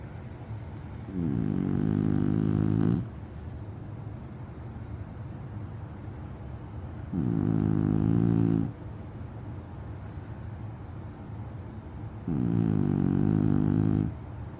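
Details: A French Bulldog snoring: three loud, rough, low droning snores about two seconds each, spaced roughly five seconds apart, with quiet breathing between.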